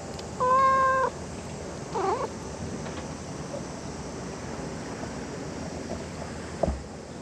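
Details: Domestic cat with one loud, level, sustained meow lasting over half a second, followed by a softer wavering mew, then quiet hiss and a faint thump near the end.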